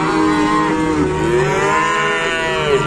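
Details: Many newly arrived cattle at an Indonesian livestock pen, lowing together in a dense chorus of overlapping, wavering moos that rise and fall without pause through the whole stretch.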